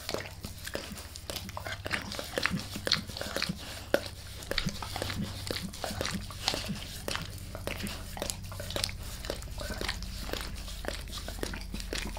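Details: Max, a dog, licks his owner's face indoors: bright wet clicks and slurping laps repeat rapidly and unevenly, over a noticeable low droning hum, with no speech.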